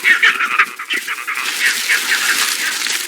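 Vervet monkeys give harsh, rapidly repeated barking alarm calls that warn of a leopard.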